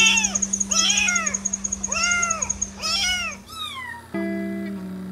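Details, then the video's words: Kittens mewing in a quick series of short, arched, high-pitched meows about once a second, followed by a longer falling meow, over a steady musical hum. "Adorable kittens meowing"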